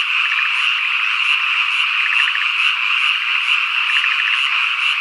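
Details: Cicadas on a summer evening in countryside at Ikusaka village, Nagano Prefecture, Japan: a steady high buzzing drone, with bursts of rapid frog croaking and a high chirp repeating about twice a second.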